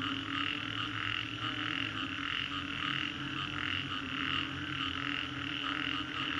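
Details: Frogs calling after a storm at Green Corridor, Singapore, many voices blending into a continuous rhythmic croaking, pulses recurring roughly every half second over a low steady hum.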